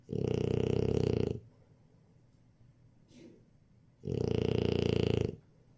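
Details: Napping French Bulldog called Jjajang gives two long, rasping snores about four seconds apart, each a low vibrating rattle just over a second long, with a faint soft breath between them.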